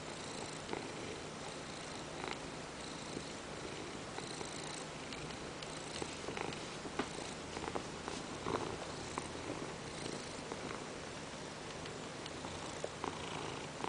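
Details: A domestic Ragdoll named Peanert purrs while demanding petting on a lap as work goes on; a gentle, unbroken low vibration continues the whole time, dotted with faint scratchy clicks.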